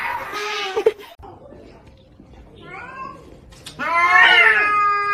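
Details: Kitten meowing three times: a short whining meow, a softer rising-falling mew after a pause, then a loud, strained, wavering meow that almost sounds like a yowl, against a quiet indoor background.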